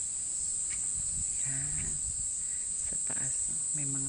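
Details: Abura-zemi, the large brown cicada, in Japanese summer: an unbroken, shrill, high sizzling drone like frying oil, fills the short stretch, with a few soft low thumps and murmurs underneath.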